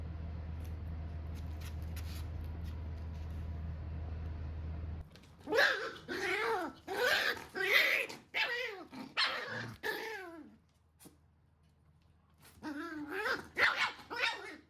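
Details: Standard Shiba Inu puppy being scolded by its mother dog and responding as if bored by it. After five seconds of steady low hum, bursts of sharp yips and grumbling barks follow. A short pause comes before a final burst.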